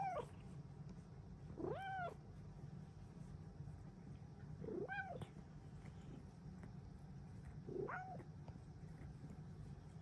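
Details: Female Bengal cat meowing happily in the morning, four short arched meows spaced a few seconds apart against steady low background hum.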